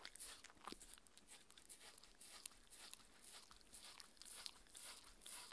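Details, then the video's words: Mindy, a six-year-old Shetland Sheepdog, eating her raw beef dinner indoors: rapid wet chewing, crunching and licking clicks, bright and crisp, steady throughout with no talking. "Dog eating Sounds"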